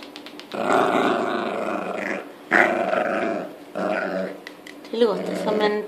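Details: Dog at play indoors, three long rumbling growls of about one to two seconds each, with short pauses between, ending with a brief higher whine and a person speaking Swedish.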